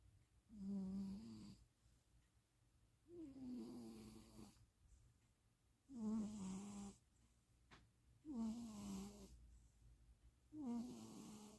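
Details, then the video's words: Stevie the cat napping indoors in Austin, Texas, on 2026.04.07, snores in five droning, nasal breaths, one roughly every two and a half seconds, each a buzzy tone sliding slightly up or down, with quiet pauses between. "napping cat. Stevie is snoring."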